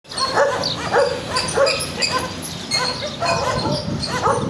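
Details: Stray garbage dogs barking, sharp barks repeating roughly every half second to second over a loud, hissing background din.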